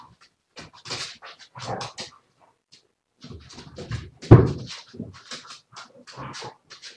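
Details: A Siberian Husky vocalizing in short, breathy bursts with panting and whimper-like sounds. A louder burst comes near the middle, and brief pauses separate the groups of sounds.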